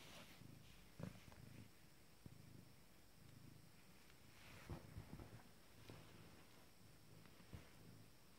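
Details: A first-litter Abyssinian kitten, 19 days old and female, exercising her legs: a quiet, low, pulsing purr with its rhythm repeating about once a second, broken by a few soft knocks and rustles.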